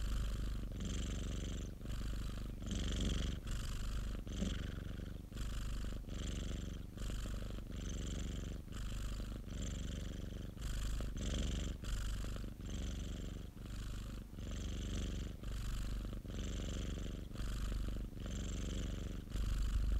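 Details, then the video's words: Extended purring of a pet cat, edited from several minutes of continuous purring; a deep, vibrating rumble pulsing steadily with the cat's breaths, about one cycle per second and a half, with no other sounds. "고양이 골골송 ASMR 1시간(고양이 그르릉 소리) - Cat purring ASMR"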